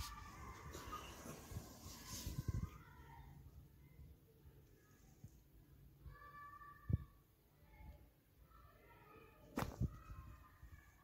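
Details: Pet cat indoors giving several short, tonal meows in the second half, each a clear harmonic call, separated by quiet gaps and a few sharp knocks and room noise.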